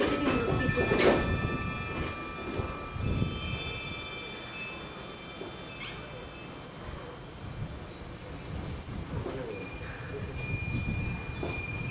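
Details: Wind chimes ring with sustained bright tones over low rumbling, with occasional voices and soft thumps.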